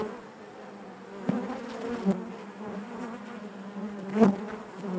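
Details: Honey bees buzzing inside their hive: a steady low drone with a strong hum band and its overtones, loud passing bees swelling briefly around the middle and near the end.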